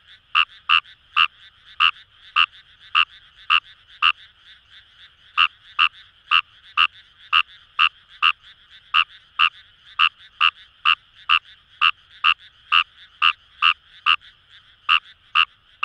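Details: Wild Fejervarya kawamurai in rice fields along the Kamo River, Itoshima, Fukuoka, Japan, calling in a long rapid series of rasping croaks, over two per second after a brief pause, with a soft chorus of other calls behind.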